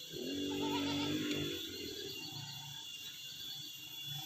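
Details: Farmed Etawah goat kept by a woman who raises the herd on her own: a single wavering bleat of about a second near the start, then low rumbling background noise with a steady high whine throughout.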